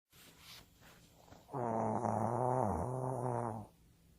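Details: Sleeping pet Shih Tzu, the household's youngest, snoring at home: after a quiet, faintly rustling start comes one drawn-out, rumbling, harmonic breath of about two seconds that dips briefly near its end, then fades to stillness.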